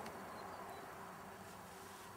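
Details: Honey bees during a swarm inspection, with the colony dusted with powdered sugar against varroa mites: a steady, dense droning hum with layered low tones, unbroken throughout.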